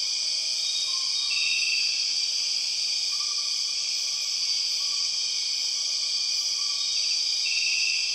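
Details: Empress cicada, known as the 6 o'clock cicada, calling in Borneo rainforest: an intense continuous shrill whine. Brief trilled bursts and faint lower whistles come and go underneath.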